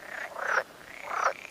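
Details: A male pool frog, a strictly protected UK species with double white vocal sacs, gives short, buzzy, quacking croaks in two quick bursts.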